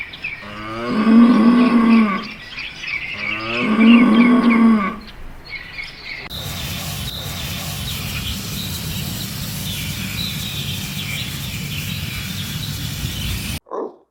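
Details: Cow giving two drawn-out, wavering low moos about three seconds apart, followed by a long stretch of steady background hiss and noise with no further calls.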